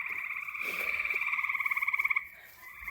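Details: Local frog chorus at a pond at twilight, recorded outdoors beside a stand of wild growth: a loud, fast pulsed trill of rapidly repeated high notes running about two seconds, with overlapping callers, then a fainter resumed trill.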